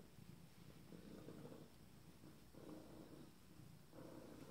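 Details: Abyssinian kittens from a first litter, 26 days old, purring softly in a low, rumbling drone that swells in waves about every one and a half seconds, with steady breathing rhythm and faint background hiss.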